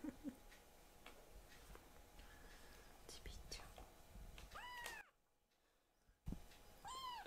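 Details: Foster kitten Akuro or Ashiro meowing while its claws are clipped; soft whispered human voice and handling sounds first, then two loud arched meows near the end, separated by a short silence.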